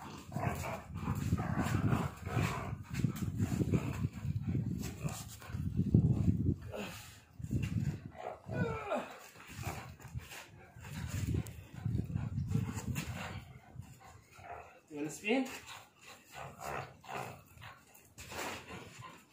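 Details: Pitbull Bully mix dog in a tug of war with its owner, giving low, rumbling growls in long bursts nearly without pause, with a man speaking Spanish at intervals over the growling.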